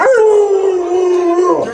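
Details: Alaskan Malamute named Luoluo, a pet dog, giving a sustained steady howl that starts with a brief upward slide then holds a level tone for about one and a half seconds before breaking off.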